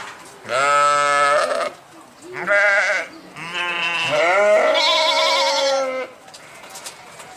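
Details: Sheep bleating three times: a short wavering bleat, a brief quavering one, then a long tremulous bleat that rises and holds for nearly three seconds, all harmonic and nasal with a strong vibrato, in a quiet setting.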